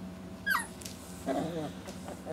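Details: Standard Poodle puppies, four weeks old, with full tummies after an early-morning feeding. A high whimper drops steeply, then a lower, wavering whine follows, over a faint constant hum.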